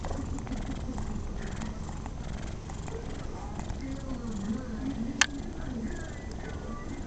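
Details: Pet cat Rocco enjoying a pat and sitting unusually still, purring in an even low rumble with wavering tones riding on top and a single sharp click.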